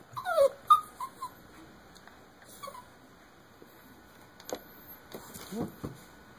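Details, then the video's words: Jack Russell Terrier puppy unable to get onto a bed, giving short high whimpers and yips in a quick cluster at the start, then scattered soft whines and thumps, with a steady faint electrical hum throughout. "Jack Russell puppy cant get on the bed"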